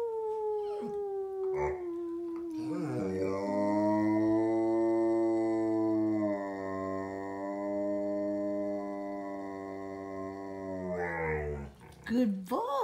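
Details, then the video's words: Young pet dog, one year seven months old, giving a very deep bass-like howl: a tail of a higher falling note, then a long steady low drone with rich harmonics held for about eight seconds, ending in short wavering sounds. "Dog howling/singing in a really low pitch"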